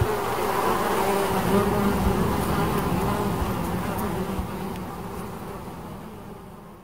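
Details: Bees make a steady, murmuring buzz with a low droning hum that slowly fades away over the final seconds, leaving quieter background.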